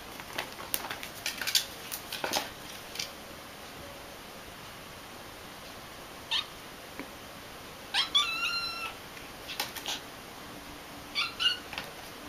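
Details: Domestic cat indoors giving a few short, quiet meows that bend upward then fall, clustered near the middle and end, between scattered clicks and taps in a quiet room.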